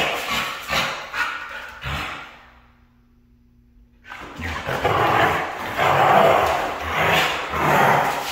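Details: Female Siberian Husky, red in colour, gives a few harsh vocal bursts, falls silent for about two seconds, then returns with louder wavering howl-like calls pulsing roughly once a second.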